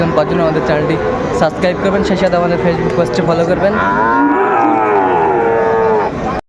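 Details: At a Tangail cattle market on 2 May 2024, with Sahiwal and Friesian bull calves on offer, a Sahiwal lows: voices and bargaining first, then a long harmonic moo of over two seconds that swells and falls away.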